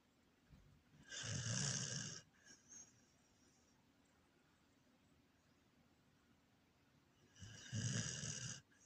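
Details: A sleeping Corgi snoring: two long, raspy breaths around a second apart at start and end, each a broad rough rumble with hissy upper tones, separated by several seconds of quiet room hush.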